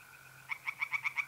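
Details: Pond tree frogs at night in mid-April, North-East Italy: after a quiet half second of steady mole cricket trilling, a series of six loud, evenly spaced rattling croaks begins.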